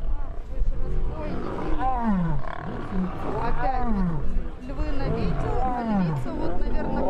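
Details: Lion roaring during a fight, a series of deep, falling groaning calls about once a second, each sliding downward, over constant low rumbling noise.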